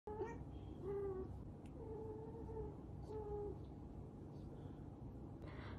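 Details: A Scottish Fold cat gives a series of drawn-out, steady yowls over a low background rumble during a failed mating attempt; Scottish Fold cat.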